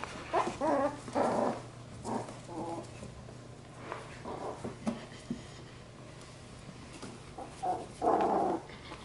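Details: Labradoodle pups from Luce's litter at play: short bursts of yips and rough growling separated by quiet gaps, ending in a louder squabbling flurry.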